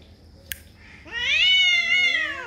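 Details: Cat yowling during a territorial fight: after a brief click, a single long, rich, wavering yowl rises then slowly falls over about a second and a half, with faint background noise.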